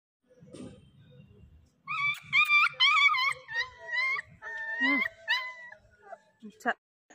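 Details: German Shepherd puppies offered for sale in Nellore, making high, wavering, tonal whines that overlap and run together for about four seconds, followed by a short, sharp rising yelp; a low murmur comes before the whining.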